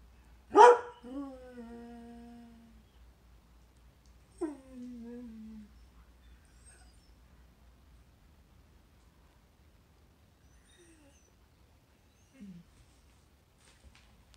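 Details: Pet greyhound singing: one loud howl that slides down and trails off, a second shorter descending howl about four seconds later, then faint brief whimpers in near silence.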